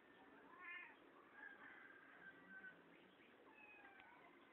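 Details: Pepper's kittens mewing: thin, high cries that rise and fall, several short calls overlapping across about four seconds, over a faint steady background hiss.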